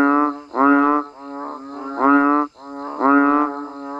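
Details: Banded bullfrog (อึ่งอ่าง) and frogs calling naturally during rain near a rice-farming village in Thailand: three loud, nasal, harmonic honks rising in pitch at the start, each about half a second long, one per second over a steady droning background.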